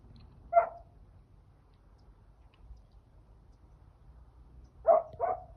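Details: Five-month-old home-bred hunting puppy on its first cornfield trial, giving voice while trailing a fleeing wild boar; three short, distant barks, one alone then a quick pair near the end, over quiet low rumble.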